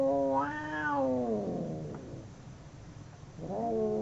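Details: Two domestic cats fighting: a long wavering howl swells, then sags into a rough, low, fading grumble. After a near-silent pause, a fresh rising yowl starts at the end.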